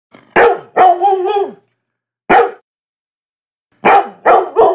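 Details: Labrador Retriever. A Labrador Retriever barks loudly with full, resonant woofs. Two quick barks, one slightly drawn out, are followed by a single bark, a silence, then a fast run of three.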